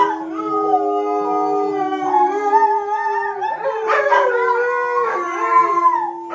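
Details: Two mid-content wolfdogs, a five-month-old female and her 17-month-old brother, howl with a husky in long, steady tones sliding up and down in pitch, during training interrupted by a siren; finding: Wolfdog.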